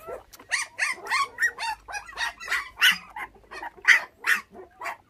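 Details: High yelps and squealing whimpers from five orphaned puppies, bottle-raised after thieves stole their mother when they were six days old, come in rapid, uneven bursts roughly every second and a half, some calls sharp and bright.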